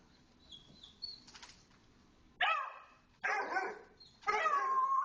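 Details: Little dogs from a small-dog play group in the big dog play area; three loud, harmonic, slightly drawn-out barks about a second apart, preceded by faint high yips and rustling.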